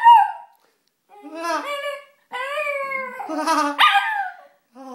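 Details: Dog indoors howling in reaction to a person's silly laugh: drawn-out, wavering, harmonic-rich howls separated by short silent pauses, with the human laughing sounds mixed in.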